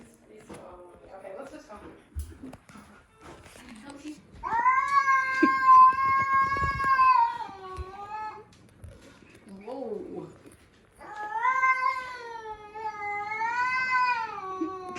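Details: Domestic female cat growling and yowling indoors on meeting a new dog: two long wavering moans, each about four seconds, with rich harmonics, separated by quieter murmurs and brief human speech.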